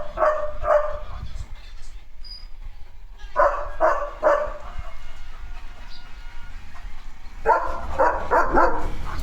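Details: A German Shepherd barks in three bursts of two or three deep, loud woofs a few seconds apart, with a faint hum behind, while watching a sparrow flying at its nest.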